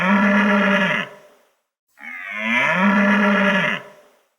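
A cow gives two loud, drawn-out moos, each low and steady with a rough, harmonic-rich tone, the second rising slightly at its start.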